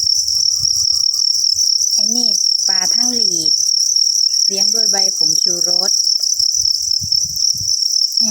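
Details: Copper crickets, several together, keep up a steady, shrill, high-pitched chirring chorus throughout, while a man talks in Thai in short bursts over it.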